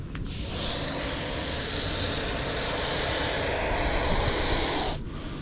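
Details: Russell's viper caught during a snake rescue operation, hissing so fiercely that people kept their distance: one long, steady, breathy hiss lasting about four and a half seconds before it stops abruptly, with faint background noise.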